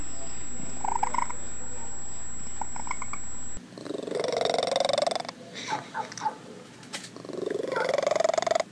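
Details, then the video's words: A domestic cat giving a rough low purr, followed by soft rising meows and chirrups, with faint background noise and a steady high electronic tone in the first part. "Weird Cat Noises"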